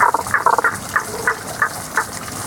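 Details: Hidden frogs give their seasonal song as a quick series of bright, clipped notes repeated about every third of a second, pitched mid-to-high, with running water murmuring underneath.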